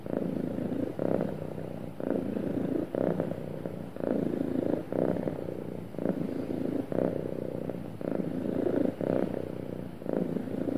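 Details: Sweet, happy cat purring without pause, deep buzzing rumble rising and falling with each breath in and out, around one pulse per second, nothing else audible.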